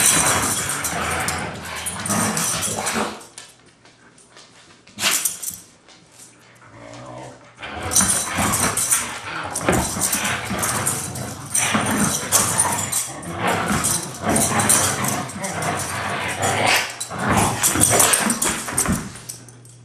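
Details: Siberian Huskies Taiga and Blade, two friends wrestling in daily rough play, not fighting. Continuous raspy growling and snarling in long noisy bursts, broken by short pauses, with scuffling throughout.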